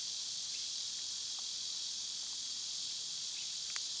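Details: Summer cicada chorus, a shrill unbroken hiss, with brief faint chirps and a sharp click near the end.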